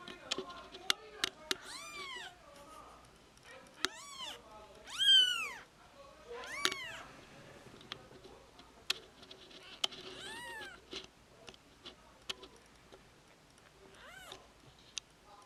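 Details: Two-day-old kittens cuddling together indoors utter a scattered series of about six high, arched mews, rising and falling, spread across the recording amid sharp clicks and light rustling.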